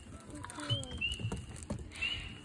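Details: Spring peepers (Pseudacris crucifer) in Southeast Michigan at Crosswinds Marsh, usually the second frog heard calling in the season, give short, high, rising peeps, several calls overlapping over a low background hum.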